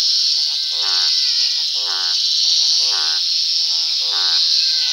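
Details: Toad croaking at sundown: five drawn-out, buzzy, rattling croaks about a second apart, with softer calls between them, over a continuous high insect hum.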